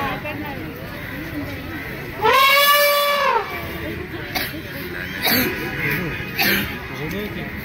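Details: An Asian elephant (Elephas maximus) in Kerala, India gives one loud, brassy trumpet that arches up and falls away over a second.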